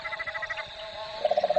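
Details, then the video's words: A mob of cane toads calls at Fog Dam near Darwin, Australia, giving low, rapidly pulsed trills that overlap one another in a chorus. "there you can hear a mob of cane toads calling at the moment."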